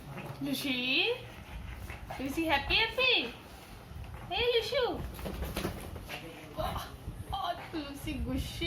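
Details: Repeated squeaky whines from Lucy, a Pug puppy indoors, arrive about every second or two. Each rises and then drops, some breaking into higher yelps, over steady low household noise.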